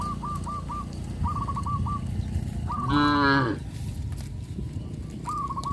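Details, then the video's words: Cattle on a traditional village farm, led to rice fields after harvest; one loud harmonic moo lasting under a second, surrounded by bursts of short repeated bird chirps and low background rumble. "sound of cows"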